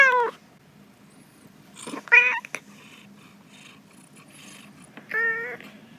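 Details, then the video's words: Domestic cat meowing while sunbathing and feeling good, recorded 4 December 2021: three short harmonic meows, the first falling, the others slightly rising then dropping, spaced about two and three seconds apart, with faint rustling between. "ひなたぼっこ 気持ちよくて鳴くメルちゃん〜ネコの鳴き声"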